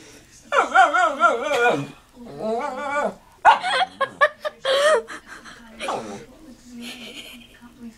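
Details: Shih Tzu indoors 'talking' to the household parrot: wavering, yodel-like whines rising and falling in two long phrases, then short yips, with people speaking and laughing throughout.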